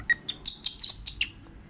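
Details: Baby marmoset kept as a pet, crying because it wants to go out; a quick series of eight high, sharp chirps about every fifth of a second, over quiet room noise.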